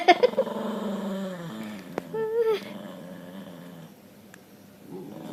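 A dog makes odd growling, moaning vocalizations, with a higher whining note rising and falling midway.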